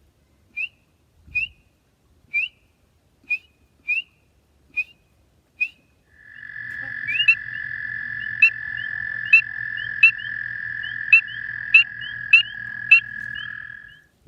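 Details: A spring peeper in the southern United States, calling at night, gives loud, clear, very high upslurred whistled peeps about twice a second, said to carry perhaps half a mile.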